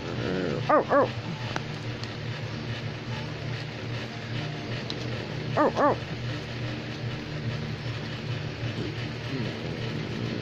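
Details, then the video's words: American Pit Bull Terrier barking: two quick doubled barks, short and bright, about five seconds apart. Long quiet stretches between them are filled with a steady low humming background. "Pitbull is barking"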